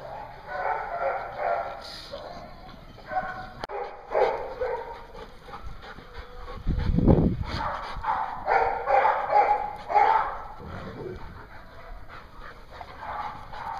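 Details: Several dogs at a Hooksett, New Hampshire dog daycare, 21 April 2016, barking in overlapping bursts with a few whimpers. A loud low thump falls midway, and indoor hum runs throughout.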